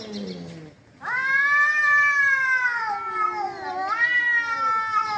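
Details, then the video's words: Cats fighting: long, drawn-out harmonic yowls that waver and slowly fall in pitch, with a short quiet break after a lower moaning start, then one loud continuous wail that dips and rises again near the end. "Cats Fighting with real sound"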